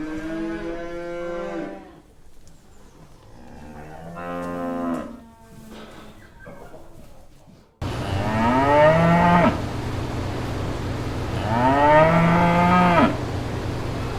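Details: Several moos from brown cows and calves on green farm pasture: a few quieter, rough lowing calls, then after an abrupt change in background two louder, drawn-out moos of about one and a half seconds each.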